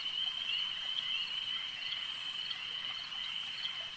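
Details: Frogs calling at a lake: a dense, steady, high-pitched trilling chorus that holds a constant pitch through the whole stretch, with faint scattered clicks and a soft watery hiss underneath.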